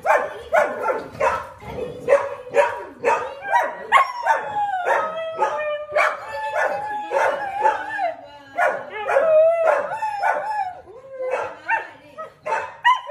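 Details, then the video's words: Siberian Husky howling indoors in the morning amid household commotion: wavering tonal howls that slide and bend, mixed with rapid yips and barks from dogs, several overlapping voices throughout. "Husky howling total caos in the house"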